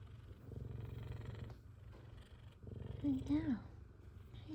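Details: Content purring from F2 Savannah cats glad to see their owner: a low, fast, throbbing rumble in two bursts, broken by a short wavering meow, as a woman murmurs to them.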